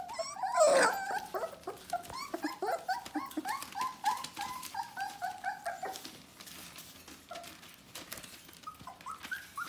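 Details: Bohemian Shepherd puppies, four weeks old, whine and whimper together indoors, many thin squeaky rising yelps overlapping, with one louder squeal near the start, continuing steadily with faint rustling and movement throughout.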